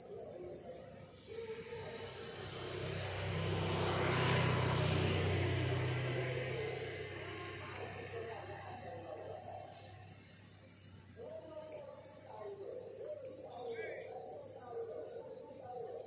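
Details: Countryside crickets at morning keep up an unbroken rapid high pulsed trill while a deep rumbling swell rises and fades in the first half, followed by scattered mid-pitched background sounds.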